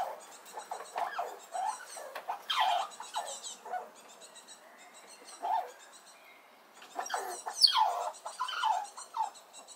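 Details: Small red squirrel squeaking noisily as another squirrel approaches, defending itself at a nut feeding spot; a series of short, sharp squeals and chirps that dip and rise in pitch, bursting in clusters with brief quiet gaps.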